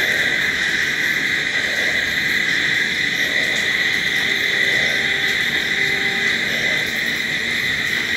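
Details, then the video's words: Night crickets forming a dense, unbroken chorus of high, steady trilling that holds at an even level throughout, with faint low tonal hums drifting beneath. "Sounds of Night Crickets"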